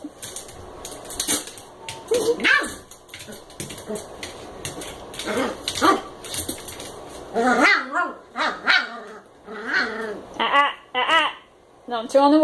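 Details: Eight-week-old American Eskimo puppy Koda playing with a Chihuahua mix indoors: a run of short, high yips and squeaky barks with bright harmonics, bunched in quick bursts, mixed with a person's talking.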